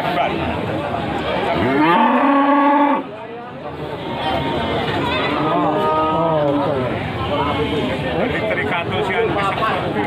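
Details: Cattle at Pasar Wage Panggul livestock market in Trenggalek, Indonesia: a loud, drawn-out, harmonic moo lasting about a second, then quieter lowing over steady crowd chatter and market noise.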